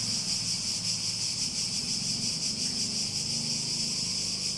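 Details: Shrill cicada chorus with a faint rapid pulsing in its steady high buzz. A low droning hum runs underneath throughout.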